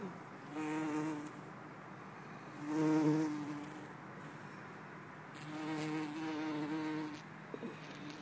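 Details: Bumblebee, either garden or buff-tailed, recorded in Lisbon on 4 December 2011: a low, steady droning hum that swells and fades as it passes close, loudest around the third second, over faint background hiss.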